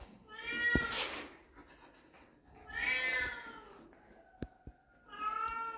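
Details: Young puppies greet their father for the first time with repeated long, tonal whimpers that bend up and down, three calls in under six seconds, broken by sharp clicks and taps.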